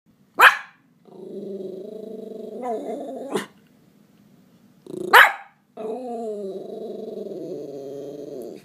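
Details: A Miniature Schnauzer stressed after spotting a cat gives sharp single barks between long, wavering, moaning whines.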